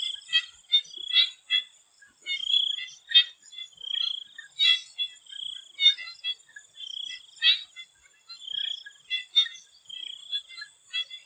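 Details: Chorus of swamp frogs before sunset in Thailand: clustered clicking pulses alternate with longer trilled notes, several callers overlapping every second or so, over a constant shrill insect hum.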